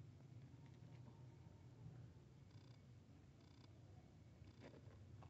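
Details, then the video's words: Domestic cat purring during a meeting between a kitten and a big cat: a steady, low rumbling throb that runs unbroken through the whole stretch, with faint brief rustles above it. "Meowing to Attract Cats Kitten Meets Big Cat"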